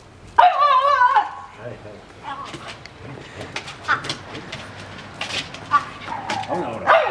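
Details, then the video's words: Pet French Bulldogs John and Bon at home, tussling over a favourite younger brother who came to play. A loud, wavering, harmonic whining cry lasts under a second, followed by shorter whines and yips amid people's voices. "french bulldog"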